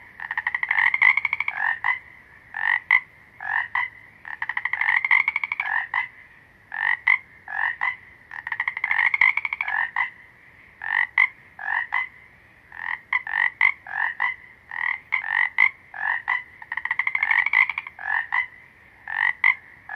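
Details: Several frogs croak in near-constant alternation, short grating pulsed calls and clipped double notes following one another every fraction of a second, with no other clear sounds.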